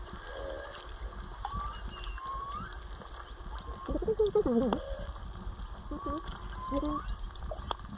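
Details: Whale song heard while snorkeling at Onna Village, Okinawa, three to four whales calling: a series of short sweeping tonal units, rising and falling, with a louder wavering cluster midway, over steady underwater hiss.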